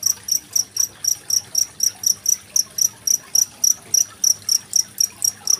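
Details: Genggong cricket calling, recorded alongside running water as a training sound for contest songbirds such as magpie-robins. Shrill, clipped chirps repeat regularly, about four each second, over quiet hiss.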